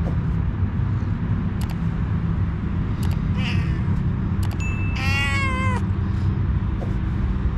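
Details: Homeless female cat seeking a head massage, giving one clear, drawn-out falling meow near the end, preceded by soft clicks and short noises, over a constant low rumble of outdoor traffic.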